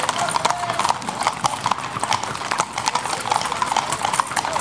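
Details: Criollo horses parading at sunset along Av. San Martin in the town of Pampayasta on Saturday 3 December 2016; a steady stream of sharp clip-clop hoofbeats on hard ground, with voices of onlookers behind.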